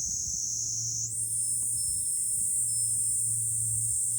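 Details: Cicadas singing in July on high ground overlooking Fukuoka city, Japan: a continuous shrill, hissing drone that jumps to a higher pitch after about a second, over a steady low hum.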